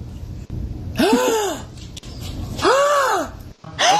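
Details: A Siberian Husky reacts to its owner's dramatic gasps with loud, arching 'awoo' yowls that rise and fall. It grows more worked up with each of about three gasps, then loses it.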